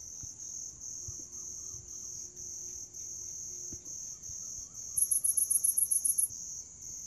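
Grass insects trill steadily in a high, continuous shimmer, with a second faster pulsing chirp joining partway through.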